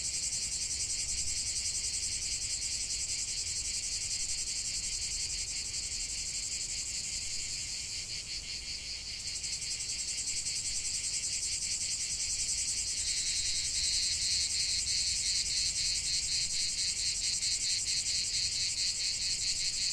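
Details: Chorus of cicadas in nature, a steady high-pitched buzzing drone with rapid pulsation; partway through a sharper, higher pulsed voice joins and continues to the end.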